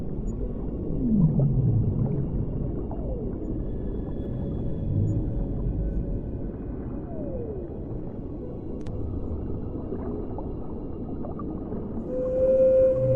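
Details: Whale song underwater: deep downward-gliding groans and scattered short sweeping cries, ending in a clear sustained tonal note, all over a steady low underwater rumble.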